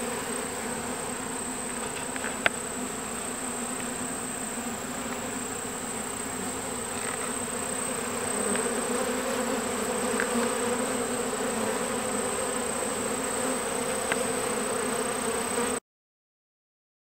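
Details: Summer farm recording of a captured honeybee swarm still adjusting to its new home: steady massed buzzing with a few faint clicks, cutting off abruptly to silence near the end.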